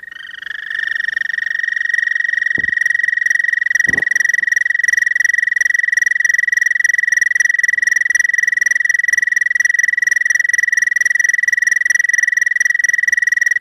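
An American toad gives a long, steady, musical trill, the male's mating call to attract females.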